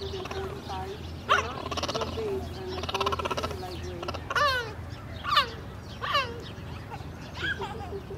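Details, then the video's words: Cheetah at San Diego Zoo Safari Park on 11.17.21 stutter-barking in response to a lion roar, a sound made when looking for cubs: a series of sharp, descending harmonic chirps about a second apart, with human voices in the background. "Cheetah Stutter-Barks at San Diego Zoo Safari Park"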